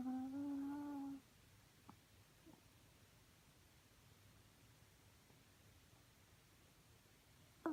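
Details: Romeo, a chihuahua, snores with one steady, tonal, whistle-like hum at the start, then near silence in a small room with a low background hum.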